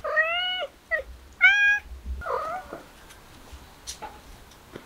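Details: Kittens indoors giving two loud, drawn-out meows, each clear and rich in overtones, then a shorter, lower, rough meow and a few faint soft sounds in a quiet small room.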